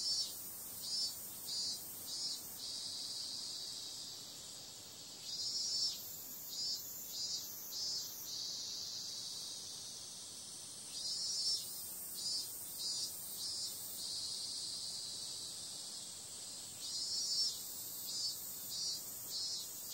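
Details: Cicadas on a summer night: a steady, hissing high-pitched drone with bursts of four or five louder pulsing surges that swell and fade about every five to six seconds, with no other clear sounds.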